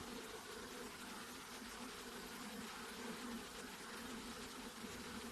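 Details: Honey bee buzzing, a thick, steady drone carried in two humming layers, one deep and one higher, with gentle swells in intensity and a hissy background over the whole stretch.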